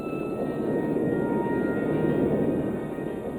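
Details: Steady broadband rumble like an aircraft engine, with faint sustained tones of background music and no animal calls.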